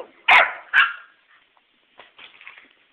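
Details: Two pet dogs playing at home, moving fast: two sharp, loud barks about half a second apart open the clip, followed by softer scuffling and faint small yips.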